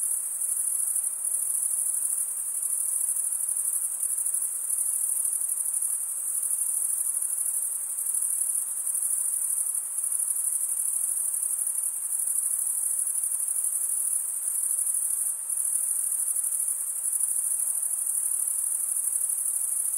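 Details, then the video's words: Long unbroken cricket chorus: males stridulating with their wings give a high, dense, shimmering trill that gently swells and fades in loudness every few seconds, over faint low hiss. "Most relaxing cricket sound for 8 hours"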